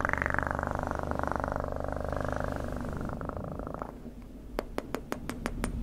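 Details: Cat purr rumbling continuously for the first four seconds, low and pulsing, then dropping away as a series of sharp close clicks takes over.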